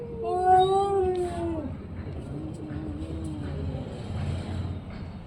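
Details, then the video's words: Orange and white cat giving a long drawn-out wavering meow that slides downward, then a quieter lower moan, over low background rumble. "cat funny sound"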